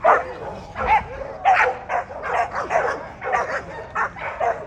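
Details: Barks at the 2024 ADBA Tristate American Pit Bull Terrier conformation show, 12–18 month female class, come in a dense string of rough, mid-pitched yaps with little pause between them. Crowd murmur runs underneath.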